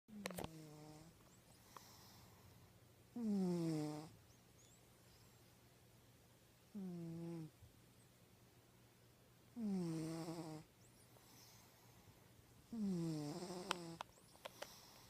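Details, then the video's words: Domestic cat snoring in the deepest of sleep: five roughly one-second snores spaced about three seconds apart, each opening with a sliding, falling tone before settling into a steady low drone, with soft breathy hiss between. "My Cat is Snoring"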